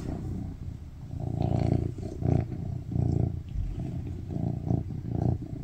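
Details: Tuxedo cat, a male, purring loudly on a lap while cuddling and asking for affection; rhythmic low rumble with brief louder surges about every half to one second.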